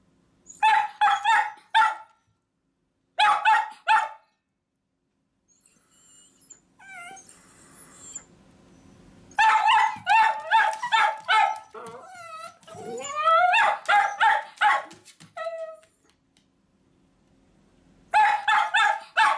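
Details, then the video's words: Two miniature dachshunds, Choco-chan and Kuu-chan, bark because they want to go along when their owner heads to work. Quick runs of shrill yaps come in clusters, broken by a rising, drawn-out whine and short pauses. "ミニチュアダックスフンド 犬 鳴き声 私も行く！Miniature Dachshund dog barks I also go!"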